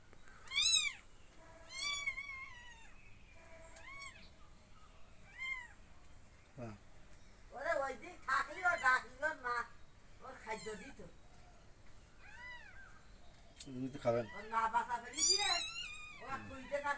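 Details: Rescued kittens being fed milk cry over and over with high, bending meows, some rapid and overlapping, mixed with people talking nearby throughout.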